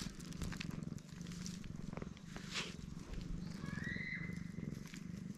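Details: Loud, low, continuous purring from a stray black cat enjoying being stroked, recorded with a GoPro HERO8; even rumble throughout, with a brief rising whistle near the fourth second and light handling noises.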